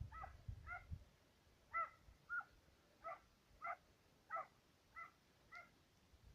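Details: Serbian hounds, two dogs, giving tongue while trailing fox and roe deer; about nine clear, resonant barks spaced unevenly, some closer and louder, with a brief low rumble at the start.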